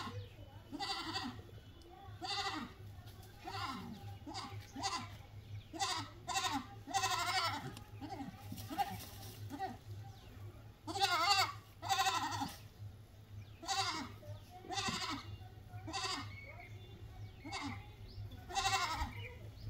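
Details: Goats bleating in a series of short, wavering, harmonic calls over about twenty seconds, with bursts of broader noise between calls and a steady low hum throughout.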